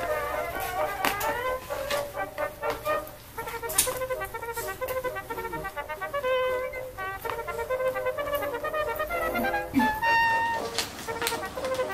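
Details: Light melodic background music with flute-like tones and soft faint voices, with no animal sounds heard.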